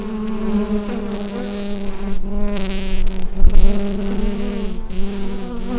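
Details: Droning mass of bees in their hive, recorded on a Rode NT-USB microphone. Steady deep buzz with rich harmonics, a few faint crackles, and one dull thump about halfway through.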